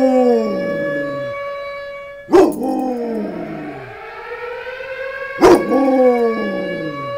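A Rottweiler gives drawn-out, wavering howls that slide down and back up, broken by two sharp barks.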